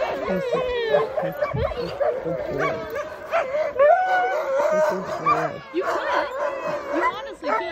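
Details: Excited sled dogs at Larose Forest, Ontario, Canada, readying for a run, with many dogs yipping, barking and howling together in a wavering chorus, and a person speaking underneath.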